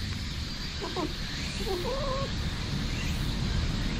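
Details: A brown tabby community cat in a park, September 2021, pleased at having its lower back patted, gives two short, wavering, hum-like meows rising and falling in pitch, over a steady low background rumble.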